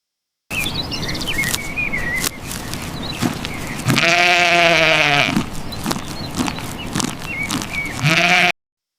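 A sheep gives a long, wavering, nasal bleat, then starts a second bleat just before the end, with chirpy bird whistles and clicks behind it.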